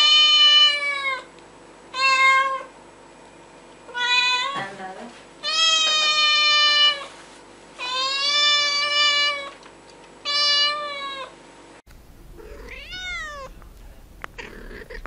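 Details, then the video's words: Cats and kittens meowing, with a run of loud, drawn-out, nasal meows, each about one to two seconds long and a second or so apart, then a higher, rising-and-falling kitten-like meow near the end. "Funny Cats and Kittens Meowing"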